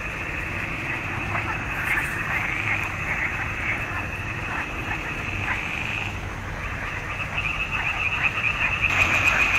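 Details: Frogs singing in a swamp pond in June 2021; a steady high chorus hum runs throughout, with scattered short croaks rising above it and growing louder near the end.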